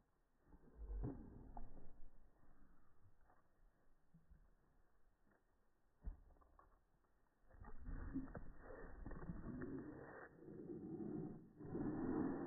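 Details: Daisy, a French Bulldog, excited after receiving a new dress: low, throaty grumbling and growly vocal bursts, scattered and soft at first, then building into sustained rumbling, whining vocalizing from about seven seconds to the end.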